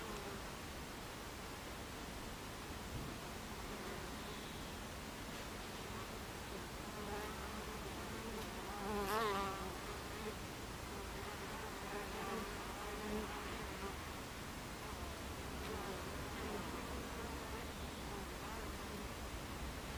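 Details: Buckfast bees buzzing at the hive entrance on 26 July 2013 at 14:30; a continuous hum of many bees, with one close flyby near the middle producing a wavering, rising-and-falling whine above the background drone.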